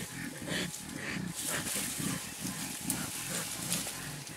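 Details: A mountain gorilla, the blackback Kongomani playing with 2½-year-old Noel at Bukima, Virunga National Park, Congo, in April 2007, makes deep, throaty grunts, several per second, like rough chuckling, over hissing wind or rustling.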